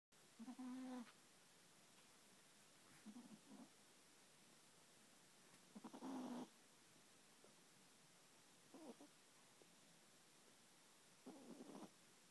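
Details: A sleeping Chihuahua snores softly indoors, low buzzy rasping breaths recurring every few seconds against a quiet steady hiss.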